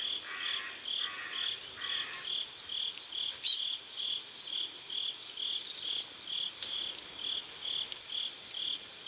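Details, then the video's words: Sunset crickets by a river in South Korea sound steady high chirps about twice a second, joined by three lower raspy pulsed bursts early and a short loud high twittering burst from a bird. "Sunset River and Sound of Crickets"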